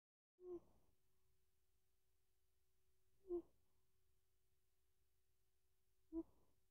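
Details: A sleeping male Bengal cat snores in brief, buzzy, bee-like rasps about every three seconds, with quiet breathing between and a faint steady electrical hum throughout. He seems to be dreaming, with his whiskers and paws twitching.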